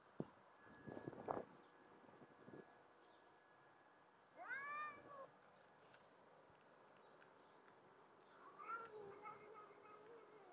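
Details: Street cats, a mother and her kittens, at feeding time; rustling and handling noises, a short rising meow in the middle and a fainter wavering meow near the end.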